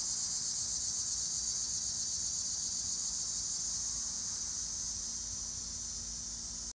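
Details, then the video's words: Cicadas in eastern Pennsylvania in summer give a steady, high-pitched buzzing drone that carries on without a break. "Eastern PA Sounds of Summer: Cicadas"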